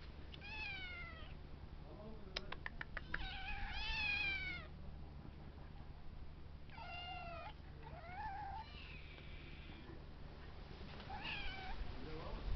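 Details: Several 14-week-old kittens meow in turn, their high, drawn-out cries overlapping like a round.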